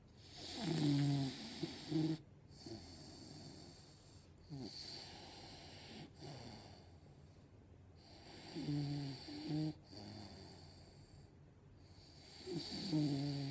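An English Bulldog snores in deep, rattling bursts with a rough, low buzz on each breath. The snores come in a slow, regular rhythm, with quieter whistling breaths between them.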